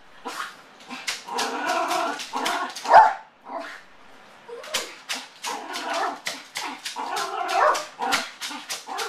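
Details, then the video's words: Separation anxiety in Motley, a Yorkshire terrier left alone at home: a near-continuous stream of frantic whining howls broken by rapid clipped yips, rising and falling in bursts. "Separation Anxiety Yorkshire Terrier"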